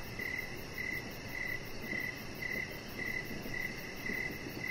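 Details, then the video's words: Evening crickets near a deck with Rocket the chihuahua puppy lying out; a high, regular chirp pulses at roughly half-second intervals above a low rushing background. "Cricket Sounds"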